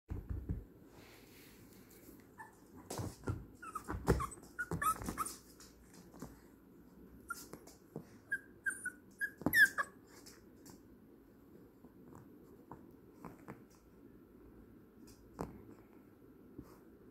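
A Yorkshire terrier gives soft, high whimpers and short yelps in a quiet room.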